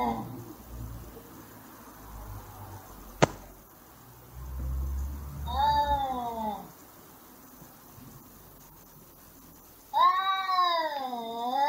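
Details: Two domestic cats screaming while fighting in a brawl: two drawn-out wavering yowls with rich harmonics, rising and falling in pitch, the second louder and longer, over a low background rumble and a single sharp click.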